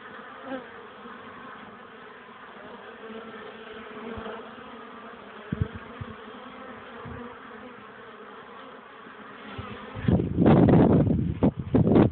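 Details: Many honey bees hum steadily around their hive on a sunny, windy afternoon of 12 degrees, 21 April 2013, bringing in pollen despite the wind; a soft, even buzz, a few thumps, then loud wind gusts covering the last two seconds.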